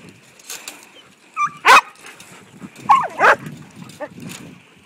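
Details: Five-month-old Briard puppy Aragorn on his first encounter with sheep while herding, giving scattered yips and barks: one loud bark near the middle, another pair a second later, and softer sounds around them.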